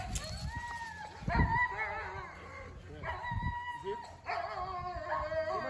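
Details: Belgian Malinois named Thor (Yulio Du Tulip Noir) on a field training day for obedience and control, giving drawn-out, high tonal whines in three long bursts, with a person speaking nearby and low background noise.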